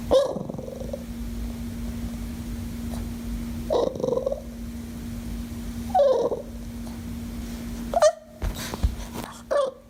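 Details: Dog making funny sounds, producing brief rough whines and grumbles every two seconds or so, with sharper yelps near the end and a steady background hum.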